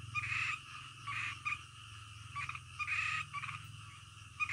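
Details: Frogs calling in the middle of the night: loud, buzzy croaks in short bursts about once a second, overlapping voices above a steady low hum.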